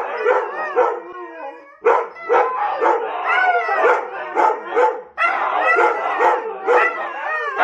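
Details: Several huskies in a howling session: bursts of wavering, rising and falling howls broken by brief pauses and sharp yelps, voices overlapping in a loud chorus.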